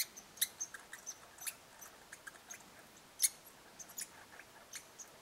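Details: Red squirrels interacting at a bird hide in Eastern Canada: sharp, high, irregular clicks and chips in quick scattered bursts, one louder snap midway, over a soft steady background hiss.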